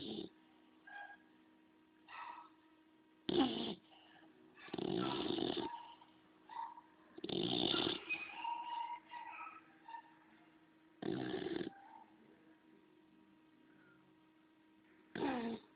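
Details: Bulldog snoring: broadband breathy bursts roughly every three to four seconds, some loud and some faint, with a steady low hum underneath and a few brief higher squeaky sounds between breaths.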